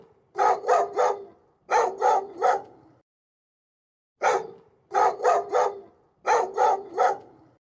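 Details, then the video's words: Dog barking in quick bursts of three, five groups of short sharp barks separated by brief pauses. "dog. The dog says woof."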